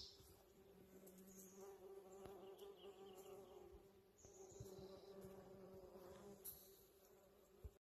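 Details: Western honey bees give a steady, low droning buzz, the hum of many wings beating together, as they work a blooming holly tree in a yard in spring.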